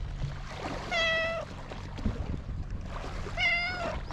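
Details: Stray cat on a cat island by the sea, filmed with a GoPro HERO8: two clear, drawn-out meows about two and a half seconds apart, over steady low rumble of waves and wind.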